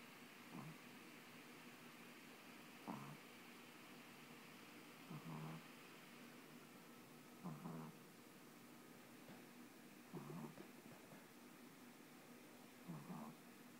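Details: A Boston Terrier puppy falls asleep and snores softly, each low, rasping breath repeating every two to three seconds; the snoring gets very loud at times.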